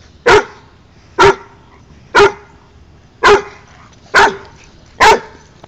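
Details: Dog named Pikanik barking at Josh rolling on the ground, wanting to play; six loud, clipped barks spaced evenly about once per second, each short and punchy, with little else audible between them.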